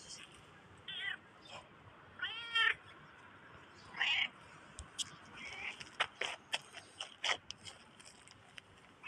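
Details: Black cat, apparently a stray, giving a few short, high meows with rich harmonics, spaced a second or two apart, followed by clicks, taps and faint background hiss.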